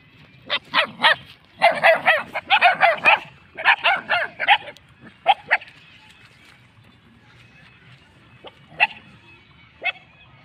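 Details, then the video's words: Several cute puppies yapping in quick, high-pitched bursts of clustered yips over the first five seconds, then a pause with two last single yelps near the end. "very cute puppies with voice"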